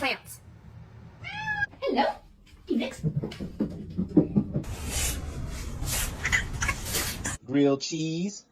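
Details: Domestic cat meowing indoors: a short harmonic meow early on, then a drawn-out wavering meow near the end, with people talking and laughing between the calls and a burst of noisy background in the middle.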